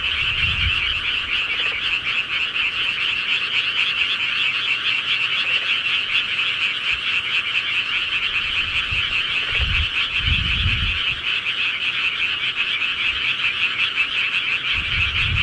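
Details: Frogs calling at night in the countryside, a dense continuous chorus of fast pulsed croaks that merge into a steady high trill, with a few low rumbling thumps near the start, middle and end.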